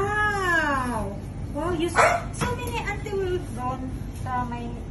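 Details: French Bulldog at bath time, giving a drawn-out, high whine that slides downward over about a second, followed by shorter rising and falling whimpers, with people talking in Filipino throughout.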